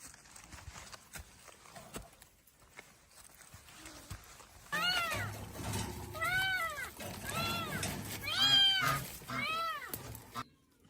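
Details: A cat makes a quick run of five short arched meows, each rising then falling, after several seconds of quiet rustling and low background noise.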